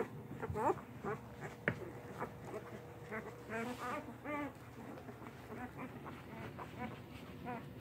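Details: A newborn English Mastiff litter, eight puppies (three boys, five girls) born Halloween night 2019, squeals in overlapping bursts: short, wavering, nasal cries from several pups at once, densest in the middle, above a constant low background hum.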